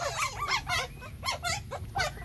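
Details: Puppies breastfeeding give high, squeaky whimpers and squeals. The harmonic bursts rise and fall and overlap, coming in quick clusters about every half second, with a low steady hum beneath.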